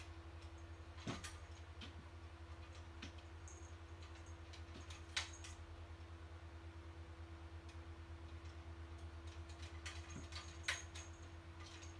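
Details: Quiet room tone with a steady low hum and scattered soft ticks and knocks.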